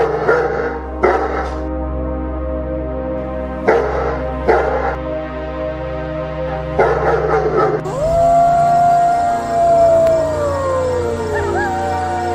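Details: Dog giving short, sharp barks, alone or in quick pairs, spread over about eight seconds. A long, smooth, howl-like tone then rises and slowly slides downward. Music plays underneath throughout.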